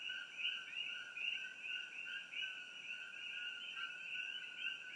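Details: Nighttime chorus of coqui frogs in trees near Hilo, Hawaii, captured by iPhone; several overlapping callers give rapid two-part co-qui notes, a low steady whistle followed by a higher rising note, blending into continuous layered calling.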